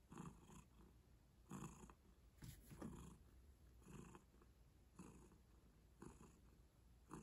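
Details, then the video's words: Relaxed domestic cat purring right next to the microphone, deep continuous rumble rising in breathy bursts roughly every second, the rhythm slightly uneven. "Cat Purrs"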